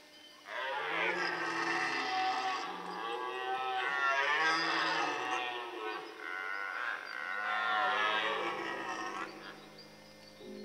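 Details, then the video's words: Red deer bellowing during the rut in the Forêt de Chaux, Jura, near Dole, France, on an outing that also saw fights between males and hinds. One deep, rough, strongly harmonic roar swells and wavers for about nine seconds before stopping. "Brame du cerf en forêt de Chaux"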